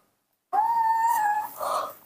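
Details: At midnight a hungry baby monkey calls with a long, clear, level cry lasting about a second, then a shorter, hoarse, noisier wail, asking for milk.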